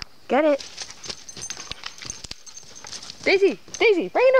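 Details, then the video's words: Daisy, a Beagle mix, excited one summer 2013 morning in Algonquin Park as her favourite pig ear treat is brought out: loud, high whining yelps rising then falling, one early, then three close together near the end, with soft clicks between. "Daisy the Beagle mix loves her pig ear treat"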